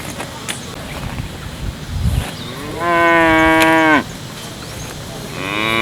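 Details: Village cow moos loudly for just over a second, a steady harmonic call that slides downward at the end; a second moo begins just as the recording ends, with faint handling thumps before.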